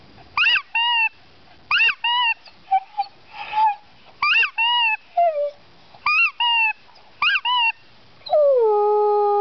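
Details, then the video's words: Dog singing: short rising-and-falling yelping howls in quick bursts, alternating with steady held tones, ending in one long drawn-out falling howl. "Singing Dog"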